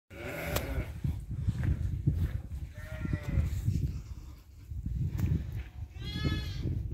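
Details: Goat bleats, two harmonic wavering calls near the middle and end over steady low rumbling noise, with a brief sharper cry at the start.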